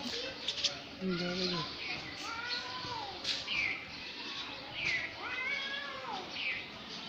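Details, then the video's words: Two cats in a fight, exchanging wavering yowls and short meow-like cries, some low and some high, with arched rising-falling wails around five and six seconds; voices and background noise mixed in. "2 cat fight voice"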